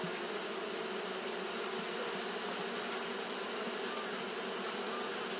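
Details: A loud, uninterrupted hum of fanning Japanese honey bees on a hot day, low droning wingbeats with a slight flutter beneath a bright, even hiss.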